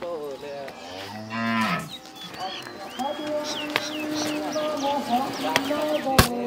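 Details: Pregnant Holstein dairy cow on a farm, young with two adult teeth, due to calve for the first time within 15–20 days. She gives a short, deep moo under a second long, followed by steady humming tones, high chirps and a sharp click.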